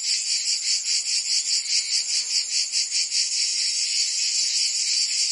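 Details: Provence summer ambience in France: many cicadas produce a piercing, continuous buzz with a clear pulsing swell several times a second, loud and unchanging over the short stretch.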